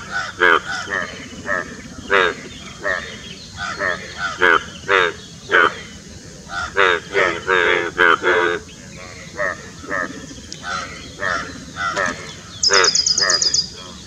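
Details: Indian bullfrogs croaking during courtship near Dombivali, Thane district, Maharashtra, on 9 June 2018; many short, harsh, harmonic croaks overlap in a dense chorus, with a brief higher rattling burst near the end.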